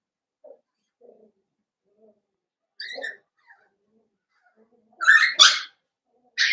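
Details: Blenheim Cavalier King Charles Spaniel puppies, a litter of five born over New Year's, indoors in their pen: faint soft whimpers build to a sharp high yelp, then a cluster of loud, shrill squealing yelps near the end.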